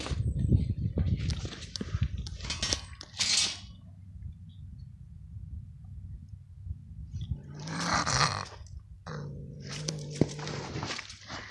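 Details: Gray fox at a lake with an odd, broken-sounding voice: two harsh, hoarse raspy bursts, one early and one later, with quieter scratchy sounds between them, over a steady low rumble.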